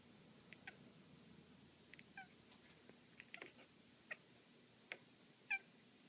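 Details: Indoor black female cat chasing a laser dot makes a series of tiny chirps and trills, short clipped notes scattered over a few seconds and ending on a louder bent chirp, with soft thuds and scuffling of play between them.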